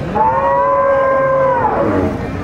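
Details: Gyr cow at El Tiangue, El Salvador, before milking, gives one long steady moo of about one and a half seconds, rich in harmonics, that drops away at the end, over low background noise.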